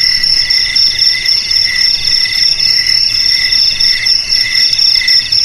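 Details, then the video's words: Rapidly pulsing cricket trill, played to keep rats out of houses, garages and warehouses: bright, high layered tones that never stop, the lower tone fluttering quickly. "Suara JANGKRIK"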